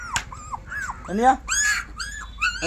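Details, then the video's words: Puppies: high thin whimpers and squeals, some arched and some rising, over a steady low hum, with a person talking nearby. "कुत्ता का बच्चा"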